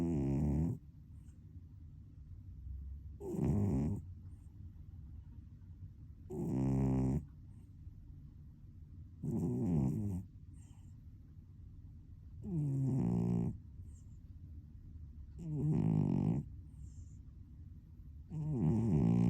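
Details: Sleeping house cat, compared to an old man in cat form, snores steadily: deep, raspy, buzzing breaths of under a second, repeating about every three seconds for nearly twenty seconds, otherwise quiet indoors.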